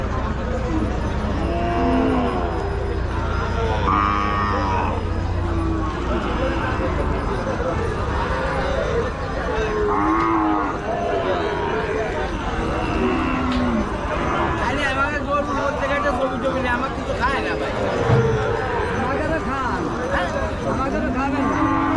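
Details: Cows at a very popular village cattle market, with several overlapping low, drawn-out moos rising and falling throughout over constant crowd chatter and market bustle.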